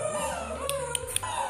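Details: Six-week-old Bernese Mountain Dog puppies from a litter of nine playing, giving drawn-out whining tones that slide up and hold steady, with a few sharp clicks and a low background hum.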